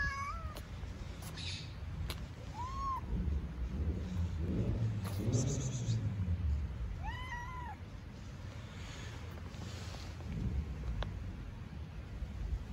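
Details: Stray cats living on the street in Istanbul, hungry: short arched meows at intervals of several seconds, with steady low street rumble and scattered clicks in the background.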